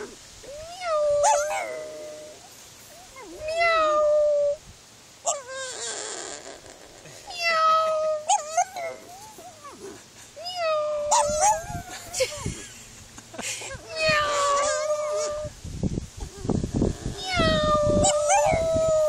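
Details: Pug meowing along with its owner in imitation of a cat: drawn-out, wavering tonal cries that rise and bend, repeated in bursts every few seconds, with human voices and household noise between the calls.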